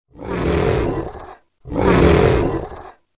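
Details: Large wild cat giving two slow, drawn-out moans, each about 1.3 seconds long with a rough, deep, breathy tone, separated by a brief pause.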